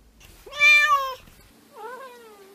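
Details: A single cat, one of a compilation of cats and kittens meowing, lets out a loud bright meow followed by a softer, lower, drawn-out meow that wavers and falls.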